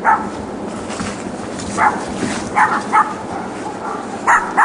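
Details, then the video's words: Next door's dogs, left alone all day in the back yard while their owners are out, yapping. A quick run of short, bright barks arrives in clusters, some in close pairs, over a constant hiss. "Barking Dogs"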